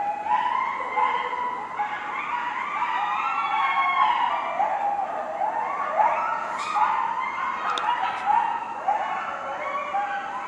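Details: At night in a residential neighbourhood, coyotes (Canis latrans) howl loudly together in a wavering chorus, voices sliding up and down and overlapping like a siren.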